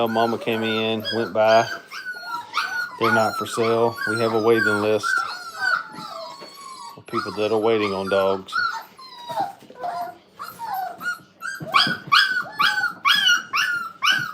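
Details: Brittany puppies, five weeks old, crated at a training kennel, keep up a stream of short falling whines and yelps. Bursts of a deeper, buzzy, strongly voiced sound break in three times.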